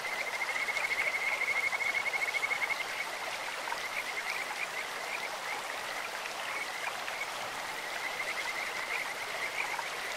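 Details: In a clear stream, Kajika frogs give a bright, rapid trill for nearly three seconds, then scattered chirps and a renewed trill near the end, all over rushing water.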